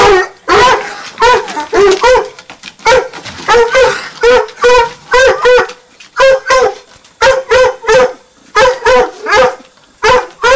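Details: Two 9-month-old Redbone Coonhounds bay steadily at a treed quarry, giving loud ringing barks in quick pairs and triplets.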